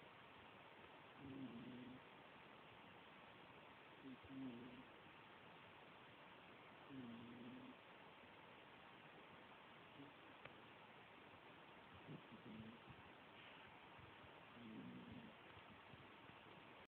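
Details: Sleeping cat snoring softly: low, faint rasping breaths recur about every three seconds under steady background hiss.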